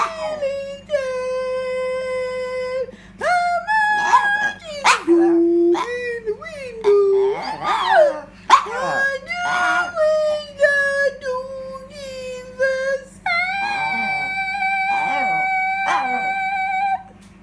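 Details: Yorkshire terrier howling along with its owner: sustained, rich, harmonic notes that step between pitches, with brief rising whoops and yelps in the middle and a long, level howl near the end, over a constant low background hum.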